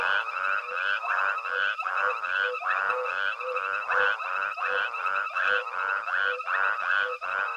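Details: Frogs form a steady night chorus at Hwange Safari Lodge while a herd of elephants with a small calf forages; throaty repeated croaks from several callers overlap in a brisk, rolling rhythm.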